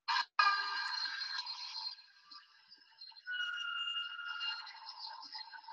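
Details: Humpback whale song, sung only by males, from the Salish Sea, British Columbia: long, drawn-out tonal wails that hold steady, pause, then return at a different pitch.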